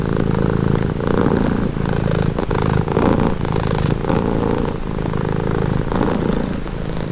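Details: A domestic cat purring calmly: a steady low, rumbling purr with a fine pulsed texture, swelling and easing with each breath about every one to two seconds. No other sounds stand out.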